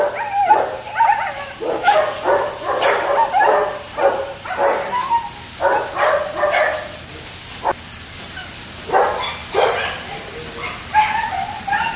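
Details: Kennel-kept German Shepherd pups let out sharp, high yips and short whining barks in clusters, with short quiet gaps between the bursts, over a faint low hum.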